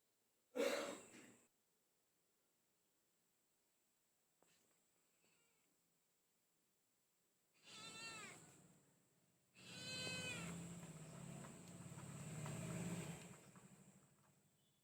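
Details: Calm pet cat giving two meows, one short and one long, drawn-out and wavering in pitch, after a loud thump and soft rustling, with a steady high background whine.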